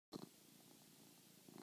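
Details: Domestic cat relaxing under a comforter, purring all the while; soft, low rumbling purr that swells at the start and end of the clip, quieter in between, in a small indoor room.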